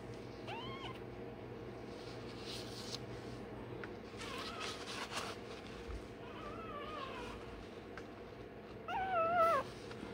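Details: Day-old Rottweiler pup undergoing tail docking and dewclaw removal, uttering brief wavering squeals at the start, a few softer whines in the middle and a sharper wail near the end.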